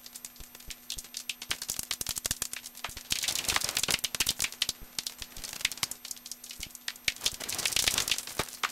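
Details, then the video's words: Common noctule flying in Hofholz on 22 November 2012 at 18:30 under a clear sky, about 7 degrees, recorded with a Nitemax under infrared light only; dense dry ticking clicks come in fast rattling bursts that swell and fade, with a steady low hum. "Abendsegler im Hofholz"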